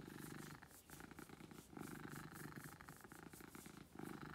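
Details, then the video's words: Domestic cat Beetle purring loudly, a buzzing low drone in short breath-paced bursts, slight dips between inhale and exhale. "Beetle Purrs"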